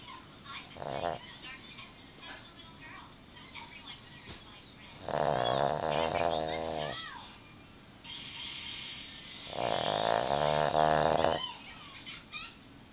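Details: A female Boston Terrier, sound asleep though her eyes are open, snores in long, rattling, buzzy breaths repeated every few seconds.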